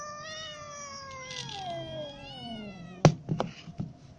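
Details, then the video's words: Cats, both little and adult, waiting hungrily to be fed; one long drawn-out meow slides slowly downward in pitch for about three seconds, followed by a few sharp knocks and clatters. "Hungry little cats and adult cats waiting to be fed"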